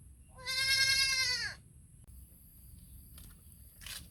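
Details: Young goat calling for its mother with one long, wavering bleat lasting about a second, dropping in pitch as it ends; faint clicks and a short rustle follow in a quiet setting.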